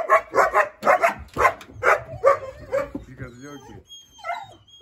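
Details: Puppies of the East European Shepherd breed bark at a husky in quick bursts of hoarse yaps for about three seconds, then softer whimpers, a thin whistle-like tone and a woman's voice.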